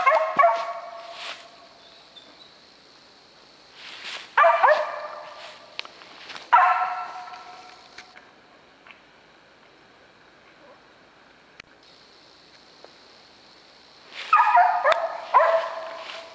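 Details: Hunting dog barking while treeing a squirrel during a squirrel hunt in South Georgia; loud bursts of repeated barks and bawls, separated by quiet gaps, with a steady high insect-like hum in the background.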